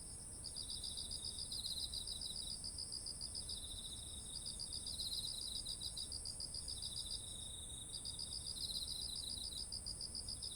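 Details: Autumn insects calling beside ripe rice fields, recorded on a ZOOM H1essential: rapid pulsed chirp trains in bursts of several seconds, with a second lower chirping voice, over a steady high-pitched continuous drone and soft low background hum.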